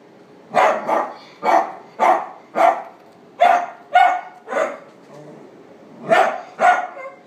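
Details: Male Chihuahua with black-and-tan and white coat, born 16 September 2016, at a pet shop, gives sharp, high yapping barks, mostly in quick pairs, about nine over seven seconds, with a faint background hum.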